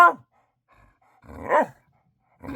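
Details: A female dog at bedtime, after going potty and having a dinner snack, gives short, tonal, whiny barks about a second apart, seeking attention, while her owner asks whether she needs to go out.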